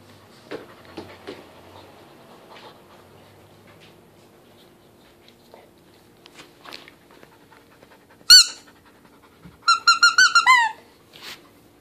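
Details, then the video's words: English Cream Golden Retriever puppy, 11 months old, chewing a squeaky wine bottle toy indoors: soft rustling and panting, then a sharp squeak near eight seconds and a longer run of pitched squeaks near ten seconds. "English Cream Golden Retriever Puppy Chewing On Squeak Wine Bottle Toy"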